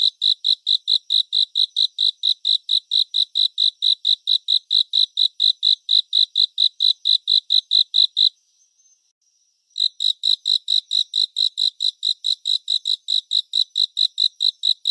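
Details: Cricket chorus presented as relaxing 3D surround nature sound: clear high chirps repeated about four times a second, a steady pulse broken by a silent pause of roughly a second and a half midway before resuming.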